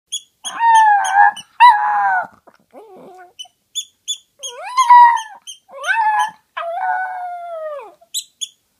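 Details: A pet toy poodle that likes to howl gives a run of drawn-out, wavering howls, some rising and some falling, with short breaks between them. Brief sharp ticking sounds are heard throughout.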